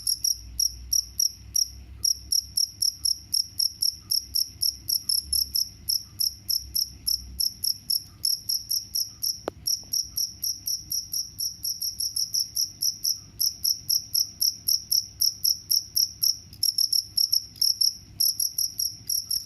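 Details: Continuous rapid chirping from a cricket, presented as a mouse repellent: steady high, piercing pulses with only brief gaps, over a low rumble in the first part and one sharp click midway.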